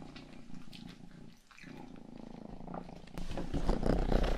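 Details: Indoor pet cat Rangi purring into a binaural microphone: a low, fast, evenly pulsing rumble, steady at first, then swelling louder with rubbing and brushing noise close to the mic in the last second.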